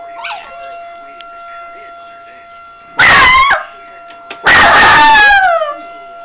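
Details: Brownie, a pet dog, howling in response to a test run of a tornado siren: two loud wavering howls sliding downward, each about a second long, over the steady siren tone, with a faint yip at the start.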